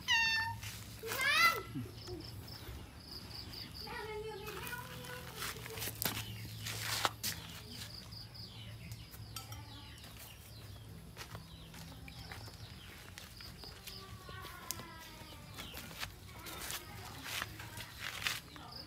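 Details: A white cat gives a sharp, rising meow near the start, followed by quieter scattered sounds while a person talks in Thai in the background.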